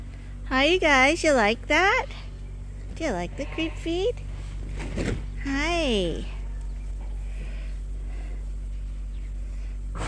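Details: Bottle-fed lambs at Ewetopia Farms, still on their mothers but topped up twice a day from a hand-made bottle feeder. They give several wavering, quavering bleats in bursts over the first six seconds, over a constant low machine hum.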